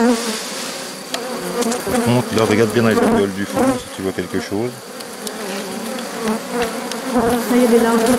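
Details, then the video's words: Honey bees of a drone-laying hive under rescue on 3 May 2021, as a brood frame with nurse bees from a not-so-gentle neighbouring hive is added; a steady, low droning hum, with a man talking over the middle stretch. "Sauvetage ruche bourdonneuse"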